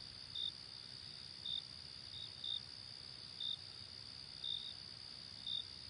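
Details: Late summer night chorus of crickets, a continuous thin high buzz overlaid by short clear chirps spaced about a second apart, six or seven of them, over a quiet background.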